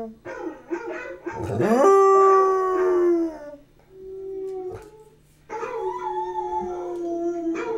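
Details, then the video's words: {'text': 'Basset Hound aged about one year gives a full-throated howl, a steady, sustained tone that arches gently downward over a few seconds, then a quieter low note, then another long, level bellow; a constant low electrical hum runs beneath.'} "Elvis The Basset Hound Howls!"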